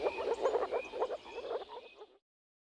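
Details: Male moor frogs croaking at a spring breeding pond, a quick burst of short repeated low croaks fading out after two seconds, then silence.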